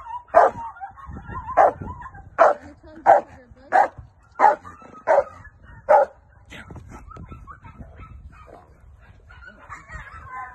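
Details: Female Rottweiler during protection training with a helper, barking in loud, sharp, evenly spaced barks roughly every half to one second, then quieter yips and whines trailing off toward the end.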